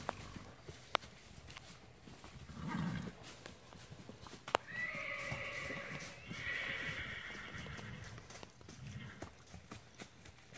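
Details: Roughly 15-year-old sorrel Tennessee Walking Horse mare gives a low snort, then a sharp knock and a long shrill whinny in two wavering pulses, trailing into quieter hoof clops and rustling.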